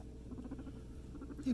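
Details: Guinea pigs Scruff and Rudy together at floor time indoors, Rudy leading the piggy train: quiet low purring pulses in two short rapid bursts, ending in a brief louder squeak-like note.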